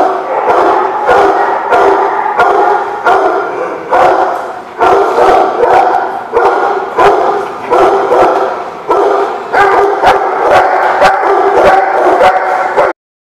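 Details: Many dogs barking together at The Barking Lot on 10/7/17, a continuous chorus of sharp barks and yips, pulsing in rapid volleys with short lulls, ending abruptly.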